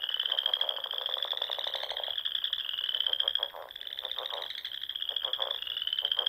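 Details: Spring frog chorus at dusk among ponds in the rolling Sandhills dunes of Nebraska: a dense, continuous high trilling drone, with lower pulsed croaks overlapping in bursts throughout.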